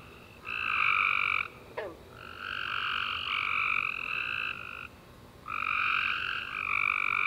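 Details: After a warm rainy summer day, tree frogs sing at night in long, loud overlapping trills, several callers chaining bursts together for over a second at a time, broken by a brief pause and a quick falling chirp.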